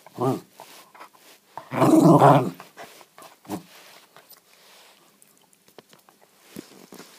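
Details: West Highland White Terrier indoors, wanting to play but refusing to give up a ball: a short low growl, then a longer loud rumbling growl, followed by scattered clicks and scuffling.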